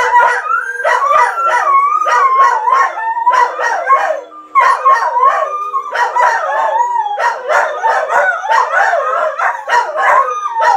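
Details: Dog howling in response to videos meant to set dogs off: wavering, yodel-like howls rising and falling in quick, choppy bursts, with several overlapping voices and a short lull near the middle.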